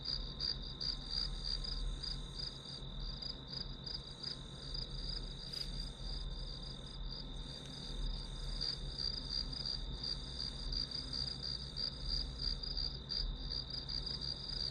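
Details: Grass insects chirping steadily, a high ringing pulse repeated about three times per second over a continuous high tone, with a faint low hum underneath throughout.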